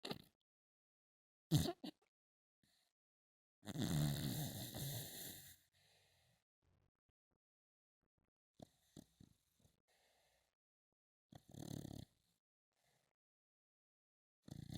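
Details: A pet dog snoring in its sleep: one long, rasping, noisy snore of about two seconds, a sharp snort before it, then short snuffling breaths separated by quiet gaps.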